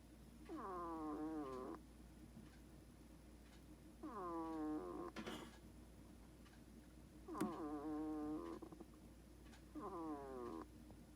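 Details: A pet hedgehog snoring in its sleep: four drawn-out nasal whines, each starting with a falling glide and settling into a steady rich tone, spaced roughly every three seconds like slow breaths, with faint rustles between.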